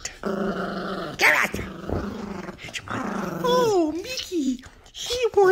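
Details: Female three-year-old Yorkshire Terrier worked up because she wants the squeaky toy: rough buzzy growling in sustained stretches, then higher whining tones sliding downward, with a person talking over her.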